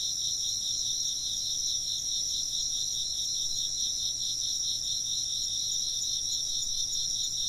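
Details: A continuous insect chorus: high-pitched, rapidly pulsing chirps stacked in bright bands, holding an even loudness from start to finish.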